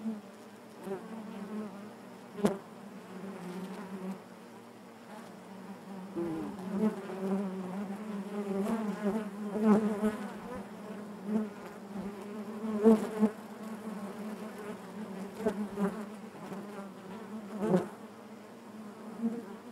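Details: Inside a honey bee hive, a continuous collective hum holds a low pitch for twenty seconds, with rising and falling surges of close wingbeats and occasional faint knocks.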